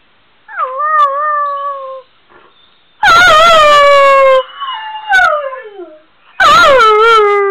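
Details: Male Weimaraner dog howling from separation anxiety when left alone: a wavering mournful howl falling slightly, then two louder drawn-out howls with rich harmonics and a sliding whine between, and a woman's soothing voice beforehand.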